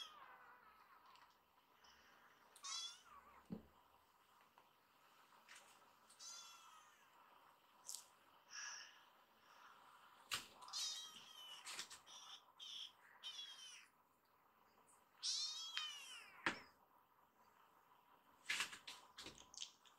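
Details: Rescued kittens gathering on a lap indoors, giving high, thin meows that rise and fall in short bursts of one to three calls spread through the clip, with quiet gaps between them.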